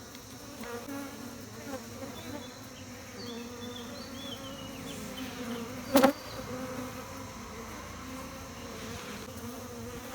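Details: Steady droning buzz of many bees around beehives, low and unbroken, with soft bird chirps in the distance and a single loud clack around the middle.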